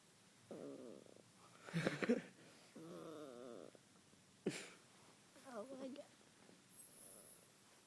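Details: Spike, a pet Yorkshire Terrier being hugged and kissed by his owner, makes funny noises: wavering, warbling whiny grumbles in several short bursts of a second or less, with a sharp knock and a person's voice between them.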